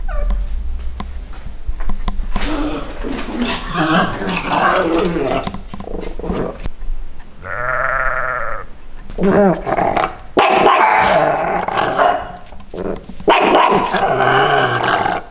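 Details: Two pugs in Santa costumes defend their territory against bleating sheep, barking in rough, rapid bursts broken by a drawn-out, wavering sheep bleat.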